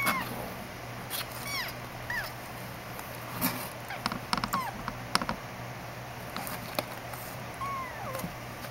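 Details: Rescued newborn kitten being bottle-raised, giving thin, high, arching mews, a few short cries scattered through the clip amid steady background hum and repeated clicks and handling noise.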